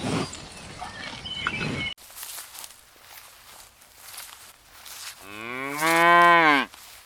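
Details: A cow in a line of cows searching for food across a green meadow pasture gives a single long, rising-then-falling moo after some outdoor background noise.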